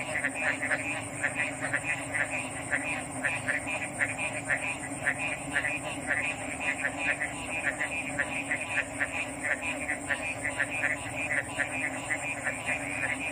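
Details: Many frogs croaking together for several seconds, their notes crowding into an unbroken rattling texture, with a steady shrill background tone and a low hum underneath.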